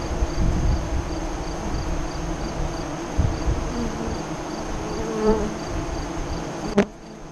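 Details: Honey bees humming at a west-facing hive entrance in Nebraska during the 2017 eclipse; a low steady drone with a few close fly-bys, ending in a sudden click and quieter hum.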